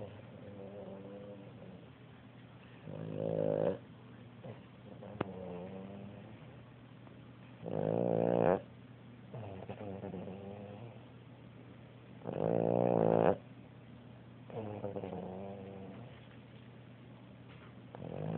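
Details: A Boston Terrier snores on a sofa in loud, rasping breaths that come every few seconds.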